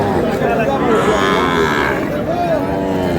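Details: Sahiwal bull calf at a muddy cattle market in Noakhali, Bangladesh, after sudden rain; a short, wavering harmonic moo rises and falls against crowd chatter and market noise.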